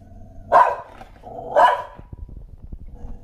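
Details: Shetland Sheepdog barking at something unseen, two sharp loud barks about a second apart, followed by quieter shuffling noises.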